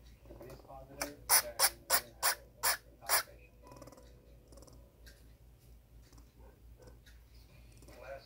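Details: Twin baby squirrel Nano, upset because his brother Pico is being mean to him, recorded 10/6/18: a burst of six sharp, loud chirps in quick succession, about three per second, followed by quieter rustling and soft scratching.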